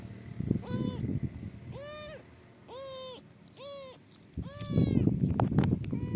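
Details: Kitten stranded in the middle of a highway, being rescued by a biker, gives five high, arched, strongly harmonic meows at roughly one-second intervals, over low rumbling wind and road noise.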